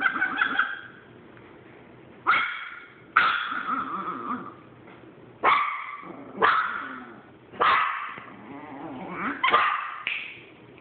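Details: Chihuahua guarding a hoarded item against a Boston Terrier: harsh, strained yelping whines with sudden sharp onsets, roughly every one to two seconds, trailing into low rumbling growls between outbursts.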